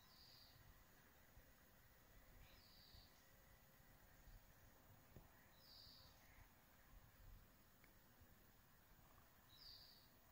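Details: Captive-bred bell crickets, kept indoors in Hokkaido and watched by cats, give short, high, bell-like chirps every few seconds over a low background hum.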